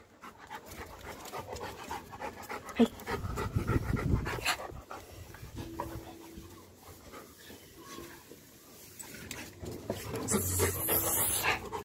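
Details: Labrador Retriever panting after an aggressive coconut-peeling challenge: quick, breathy huffs in a fairly steady run of about three or four per second, with a short steady tone and a person's voice now and then.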